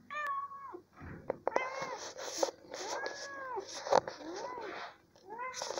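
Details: Pet cat indoors in a small room, wanting to climb onto its owner's shoulder, gives a string of clear, arching meows, some rising then falling, about one every second, while a woman talks softly in Spanish between them.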